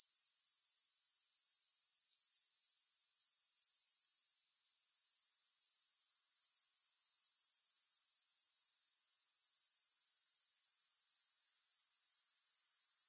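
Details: Grasshoppers produce an unbroken shrill, high-pitched buzzing trill with fast, even pulsing of about four beats per second. A short dip to near silence occurs partway through, then the trill returns unchanged. No music accompanies it.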